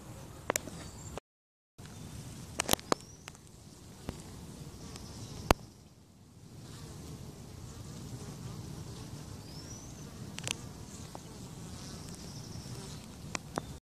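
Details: A huge lump of swarming honey bees clustered on a bare branch with no hive makes a dense, steady, low humming drone throughout.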